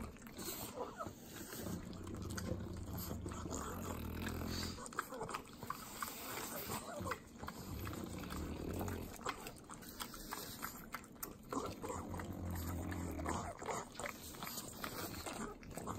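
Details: Three pug dogs in Southern California eat butter, making continuous sloppy wet licking and smacking with snorting breaths, an irregular stream of mouth noises over a steady low hum.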